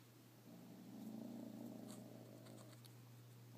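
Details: Irritated by a fallen bit of paper during play, Retro the cat gives one weird, low growl that sounds almost like a purr. It swells and fades over about two seconds against a constant electrical hum.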